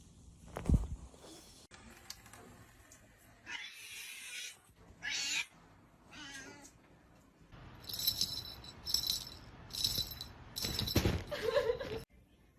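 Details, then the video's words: Domestic cats sneezing in a funny compilation: sharp noisy bursts, a single one early, then a pair around four to five seconds and a rapid cluster of four or five late in the clip, with quiet room noise between. "Cats Making Funny Sneezing Sounds"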